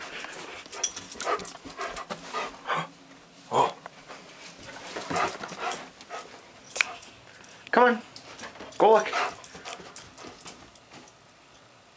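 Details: Excited dog waiting at home for its owner, urged to look out the window, lets out scattered short yips and two sharp rising whines near the end, while a person talks encouragingly throughout.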